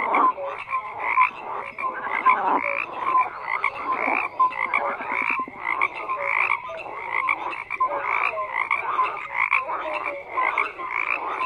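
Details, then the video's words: Frogs croaking in a dense, continuous chorus, overlapping rasping calls and short bright tonal notes stacked between midrange and high pitches, pulsing unevenly throughout. "FROGS CROAKING"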